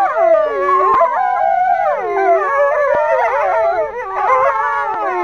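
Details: Four captive male wolves at Kolmården Zoo in Sweden, January 2007, howling together in a dense chorus. Many wavering, rising and falling voices are layered over each other, with a few short yips mixed in.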